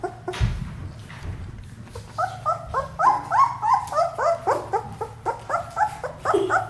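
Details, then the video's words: Ten-day-old German Shepherd puppies of Ajla and Shaky, just starting to open their eyes, indoors: a run of high, wavering whimpers and squeals repeated several times a second, with a low steady hum underneath. "Ajla & Shaky's Puppies 10 Days Old"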